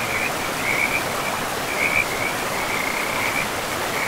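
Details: Frogs calling beside a river in a pristine forest: short trilled croaks around two kilohertz come in quick bursts every second or so over a steady wash of rushing water.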